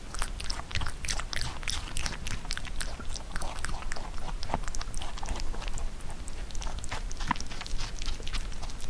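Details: Pet rabbit chewing Korean melon, a fruit it once refused as a baby but now eats well; steady rapid crisp bites and wet crunching, closely recorded with a soft low rumble beneath.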